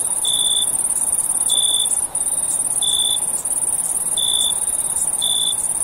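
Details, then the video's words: Crickets chirping after dark, a constant high-pitched ringing trill overlaid by clipped, lower chirps arriving about once a second in loose rhythm, some slightly longer than others. "Sound Of Cricket At Night"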